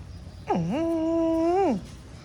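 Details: Golden dog playing outside its home with a neighbour's dog lets out one drawn-out, tonal moan lasting over a second. The pitch dips at the start, holds steady, then falls away, over a low background hum.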